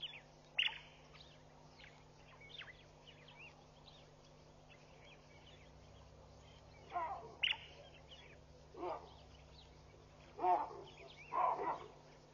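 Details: Alarms from a baboon troop scattering at Pete's Pond, Mashatu Game Reserve, Botswana, Sunday morning, June 16, 2013, via WildEarth live camera: about four harsh barks at irregular intervals in the second half, with small birds chirping throughout and a steady low hum.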